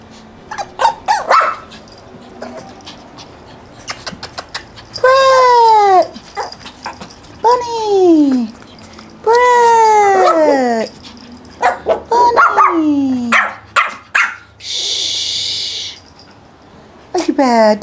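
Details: Puppies Brett and Bunny, kept by breeders in Akron, Ohio, let out repeated drawn-out whining cries that each slide downward, mixed with a person's chatter, handling noises and a brief hiss.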